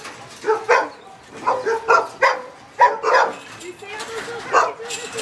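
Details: Giant Schnauzer puppies from a breeding kennel giving short, sharp yips and barks in uneven bursts, several overlapping voices, with a person's speech mixed in.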